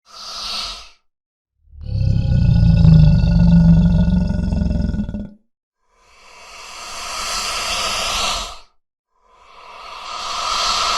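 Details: Crocodile heard in a real recording: a short breathy burst, then a deep rumbling growl of about three and a half seconds, followed by two long airy hisses that swell and fade with brief silences between.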